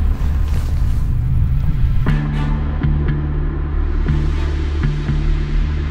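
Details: Loud dramatic music with deep rumbling drums and low sustained tones, no animal voices heard.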